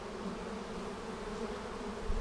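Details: Colony of honey bees humming during a hive inspection on March 10, 2019, one week after a vertical split using a double screen divider board; an even, continuous low buzz with stacked droning bands throughout, no clear break.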